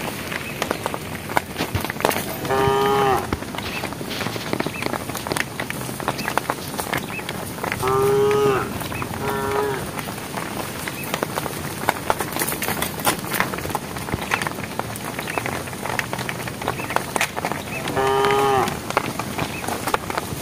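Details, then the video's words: Herd of cows walking on a project road, calling the herd: four brief moos spread across the recording, two close together midway, with steady clattering and knocking throughout. "thesound of cows calling the herd"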